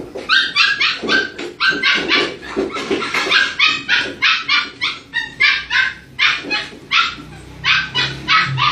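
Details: Aspin dog and Siberian husky play fighting together, two pet dogs: a dense, nonstop run of sharp, high yapping barks, roughly three or four a second, uneven in spacing, with excited yips between.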